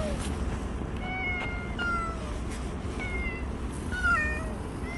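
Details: Bolt, a stray cat who stayed near a household for one year and five months, in a final recording: faint, short harmonic meows rising and falling, several scattered across the clip over steady low rumbling background noise.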